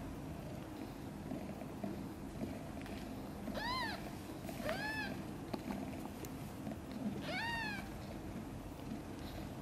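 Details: Tiny kitten Guitar, born days ago to mother cat Chan with four siblings, lets out three brief rising-then-falling squeaky mews, two close together and one later, against quiet low hum.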